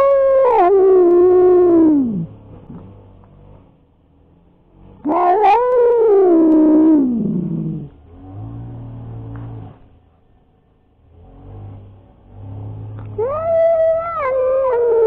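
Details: Tomcat confrontation as a resident cat fends off intruding strays: drawn-out wailing yowls that waver, then slide downward, repeated three times with quieter low growling between them.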